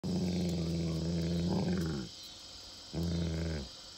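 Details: A big dog gives a deep, rumbling growl at a small snake, then a second shorter growl after a brief pause.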